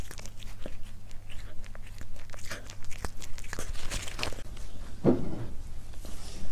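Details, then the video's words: Crunchy biting and chewing from a cat at its meal, recorded up close indoors for mukbang ASMR; quick crackly bites that thin out toward the end, with a low steady hum and a brief soft thump. "고양이 먹방 (CAT MUKBANG ASMR)"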